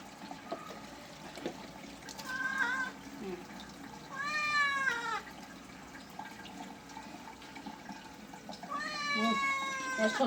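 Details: Pet cat protesting during a bath, giving three drawn-out wavering meows spread over ten seconds, the middle one loudest and bending downward, amid faint water sounds and low background noise.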